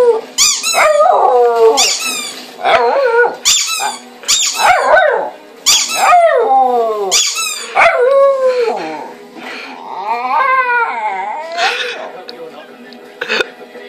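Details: Pet dog howling, set off by one of her squeaky toys; wavering, sliding howls rise and fall in repeated bursts, broken by sharp short squeaks of the toy.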